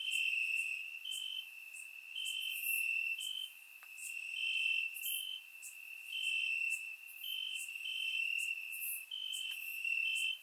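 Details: Crickets trilling from grass on a warm Bulgarian summer night, recorded in surround sound; constant piercing high chirr punctuated by brief brighter pulses, with scattered soft higher insect hisses.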